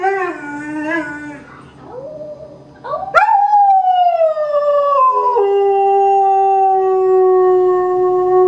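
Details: Greyhound kept in foster care singing, or rooing: a few wavering, falling notes, then a sudden loud start into a long descending howl that settles into a steady sustained tone for the last three seconds.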